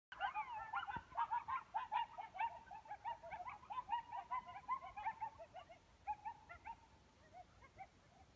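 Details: A coyote near the Old Faithful geyser basin in Yellowstone National Park howls in a wavering run of quick, yipping notes that warble up and down.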